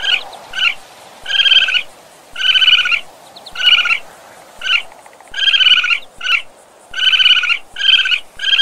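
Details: Raccoon voicing pulsed, rattling trill notes in an irregular string, longer bursts mixed with quick clipped ones, clear against low background noise.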